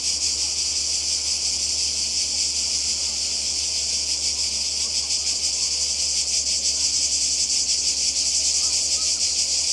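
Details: Summer chorus of cicadas on the Croatian coast, a steady shrill buzzing drone with fine rapid pulsing that carries on unbroken, slightly swelling toward the end, over a faint low background hum.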